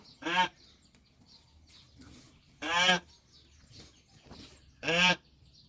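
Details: Sheep on a farm during lambing: three loud, strained, harmonic bleats about two seconds apart, each roughly half a second long, with quiet farmyard background between calls.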